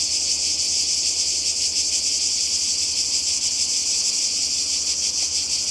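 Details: On a Croatian shore in summer 2020, cicadas keep up a constant, intense high-frequency rasping buzz, level and unbroken, with gentle pulsing in the sound.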